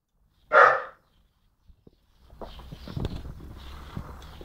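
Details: Young dog Jock, around 10-11 months old, gives a single sharp, loud bark while barking at birds and the person filming, followed by quiet rustling and shuffling noises.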